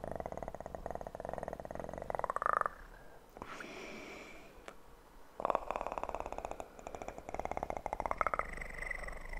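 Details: Close purring of a kitten recorded for ASMR, a rhythmic pulsing drone broken by a few seconds of quieter rustle and a click before the purr resumes, with a brief voiced rise in each loud stretch.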